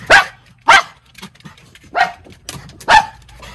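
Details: Miniature Schnauzer brothers, two white puppies, running from deck to deck upstairs for the best view in Aroostook County, Maine, October. Four sharp barks, spaced roughly every second, with a faint low hum beneath.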